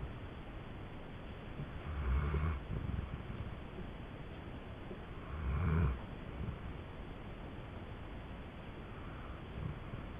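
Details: Sleeping female dog Indy gives deep, grumbling snores that sound like an old man's. Two clear low bursts come near 2 and 6 seconds and a fainter one near 9 seconds, with constant hiss between them.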